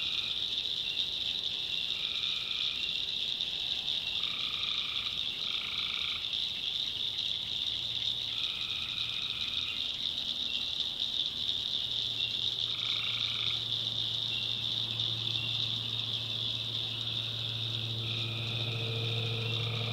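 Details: Night chorus of tree frogs in the backwoods of North Carolina, with short buzzy droning calls from several frogs repeating every second or two above a constant shrill hum, plus a low steady drone.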